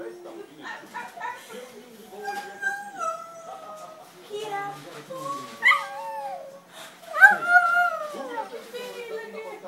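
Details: Pet dog whining and yodeling while trying to get food as the family eats; drawn-out wavering tones rise and fall, broken by short yips, with a louder bending whine near the end.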